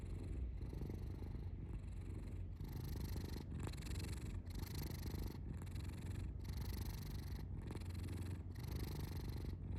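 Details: Pet cat giving a steady low purr, its throaty vibration pulsing in regular breath-length waves of about one second throughout, close and clear against a quiet room.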